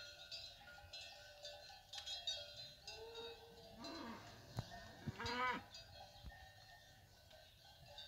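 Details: Ganado bravo cattle, cows with their calves coming down from the hills: a mid-pitched drawn-out bellow that rises and breaks, with a second shorter rising call, over steady clanking cowbells.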